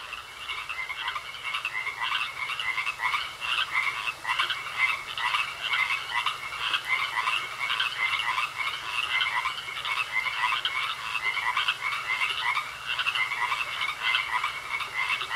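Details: Frogs in a pond croaking steadily, rapid rhythmic pulses repeating without pause through the whole stretch over a constant high-pitched trill.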